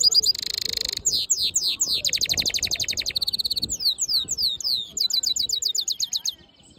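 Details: Black-hooded yellow siskin mule singing a fast, varied song of high buzzy trills, sweeping whistled slurs and rapid repeated chips, switching phrase types every second or so, with little other sound.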